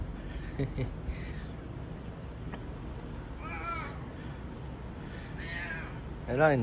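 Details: Bu-chan, a boss domestic cat, meows huskily while seeking affection with no other cats around: two harmonic, wavering meows in the second half and a louder one at the end, over steady low background rumble.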